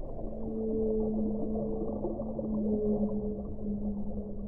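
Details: Whale song: steady, long-held low moans with a higher overtone run through the whole stretch, slightly wavering over a dense, muffled underwater rumble.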